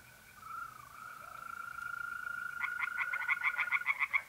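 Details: Pond at night in mid-April, north-east Italy. A continuous, even mole cricket trill holds alone at first. Then tree frogs burst in with a loud, rapid series of harsh, evenly spaced pulses that keeps building to the end.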